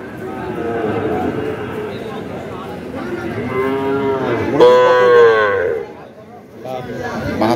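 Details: Sahiwal bulls and calves being fattened, at the Ambari cattle market in Dinajpur, Bangladesh, on 18 September 2023; a long low moo with a clear harmonic stack swells near the middle over market chatter and background music.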